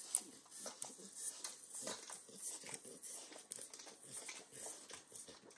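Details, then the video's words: Nine-year-old Pit Bull Max nibbling a bacon treat in a home kitchen: crisp crackly bites mixed with soft wet licks and smacks, rapid and irregular, close to the microphone. "Max Licks & Nibbles Bacon | Dog Licking Sounds"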